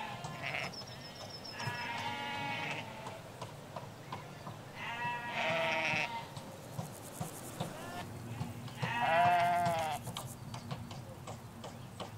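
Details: Ewes and their lambs in a Hampshire countryside pasture, three separate bleats spaced a few seconds apart, the last loudest and most quavering, over a soft low rumble and light bird twitters.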